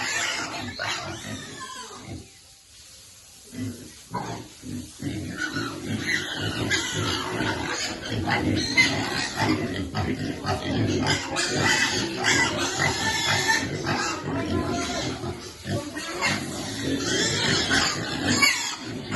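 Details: Sow with suckling piglets grunts in irregular runs of short, hoarse pulses after a brief lull, while a person speaks in the background.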